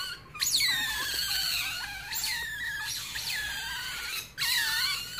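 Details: Shrill calls from a rare baby otter, white feet and white ringed tail, kept indoors: steep upward-swooping squeals that trail off into drawn-out descending whistles, repeated about four times.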